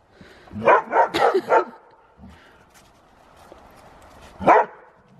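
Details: Siberian Husky having zoomies in the snow, playing roughly with another dog: a quick burst of four short, rough barks close together, a pause with soft background noise, then one more bark near the end.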